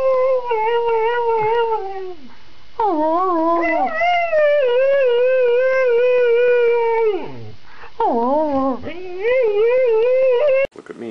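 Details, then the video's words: Snow dog 'talking' in a long, wavering, howl-like voice, held on a steady tone with vibrato and dipping at the ends of phrases, broken by short pauses, sounding almost like drawn-out words. "The best talking dogs compilation / snow dogs"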